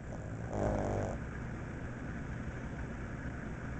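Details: Franklin, a pet pug dozing off while waiting for his dinner, gives one rough, buzzy snore lasting under a second, over a steady low indoor hum.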